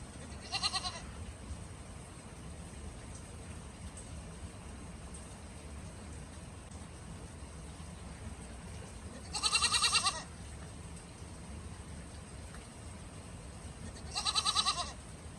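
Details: A goat standing in snow bleats three times, a short call at the start, a louder wavering bleat near the middle and another at the end, with long quiet gaps filled by faint hiss.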